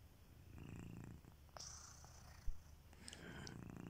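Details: Sleeping house cat Kitiboy gives low, purring snores, one short rumble early and another near the end, with faint high whistling tones and a small knock in between.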